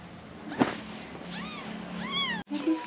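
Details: Newborn wild kitten from a neighbourhood, unable to nurse from its mother, being hand-fed milk with a spoon: two thin, high arched mews after a brief knock, followed by a sudden cut and a voice speaking Indonesian.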